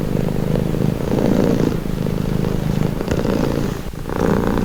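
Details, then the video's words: Low throbbing purr of a cat, its rumble rising and falling with each breath about every second, a brief quieter dip near the end before the purr resumes. "Purring cat | Calming Relaxing Nature Sound"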